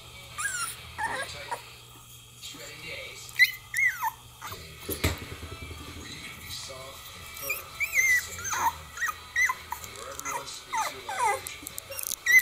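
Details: 22-day-old Cocker Spaniel puppies give thin, high squeaks and whimpers that overlap in an irregular chorus.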